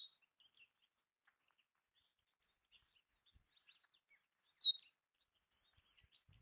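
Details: A sage rat, or Belding's ground squirrel, at spilled bird food utters a single shrill, clipped squeak late on, the rest quiet but for faint high bird chips.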